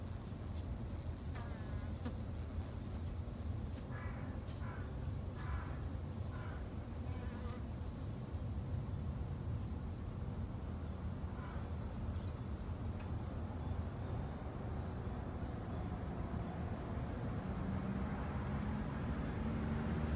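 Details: Continuous low droning of Japanese honey bees at a garden beehive, with several short passing buzzes between about one and eight seconds. The hum gradually swells toward the end.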